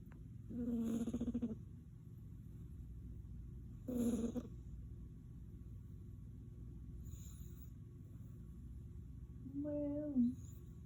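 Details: A Devon Rex cat snores in low, buzzy, droning breaths spaced a few seconds apart.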